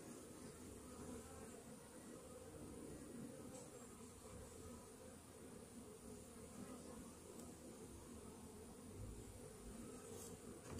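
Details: Continuous droning of honey bees in a hive treated in the morning against Varroa destructor mites; an even, unbroken low buzz with brief faint ticks and a slight bump right at the end.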